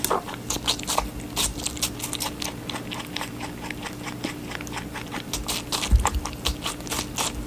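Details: Rabbit eating watermelon indoors; rapid crunchy bites and wet chewing clicks in irregular bursts, with a faint steady hum underneath.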